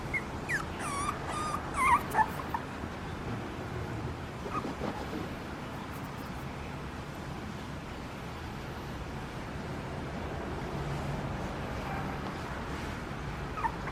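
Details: ['Papillon puppy giving a short burst of high, thin whimpering whines and small yips with wavering pitch in the first two seconds, followed by a long stretch of quiet indoor background hiss.']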